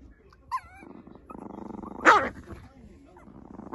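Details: Puppy giving a pulsing, rumbling growl that lasts about a second and a half. A short high whine comes before it and a sharp bark cuts in near the end.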